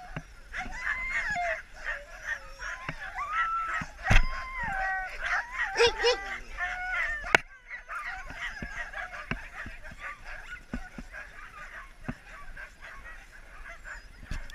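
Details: Husky sled dogs on a rest stop during a husky safari in Finnish Lapland give wavering, rising and falling whines and yelps, loudest in the first half, then thinning to scattered calls over a low background hum.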